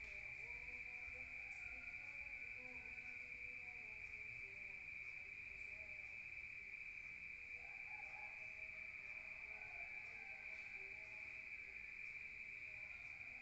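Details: Rural crickets chirping at night, heard from indoors: one steady, piercing high-pitched trill that never pauses, over a soft low rumble and faint scattered lower tones.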